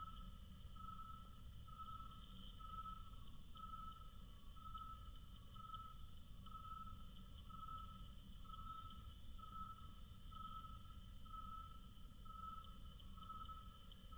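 A cricket's chirping, slowed to a quarter of its speed, turns into mellow, warbling tones that repeat roughly once a second in an even rhythm. A constant low rumble runs underneath.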